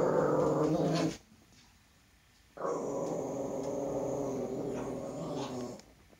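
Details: A male toy poodle frightened of his own shadow growls steadily, a rough continuous rumble, breaking off briefly before resuming for about three seconds.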